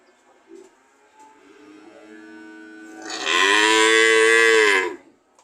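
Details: Cow mooing: a quiet, rising lead-in builds into a loud, sustained moo of about a second and a half with rich harmonics, ending with a slight downward bend.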